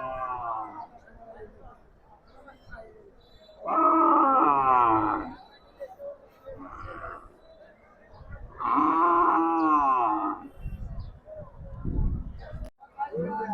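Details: Cattle at the Raipur haat cattle market: two loud, drawn-out harmonic moos, one near four seconds and one near nine, each lasting over a second, with crowd voices and chatter between them.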